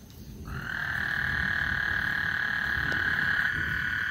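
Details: On Lake Houston before a storm, frogs sing a single sustained trill that starts abruptly after half a second and holds a high, even buzz to the end, with faint low rumbling beneath.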